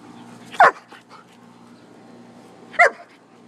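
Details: Dogs, a poodle and a shepherd, playing together out back: two sharp, bright barks about two seconds apart over a quiet, faintly humming background.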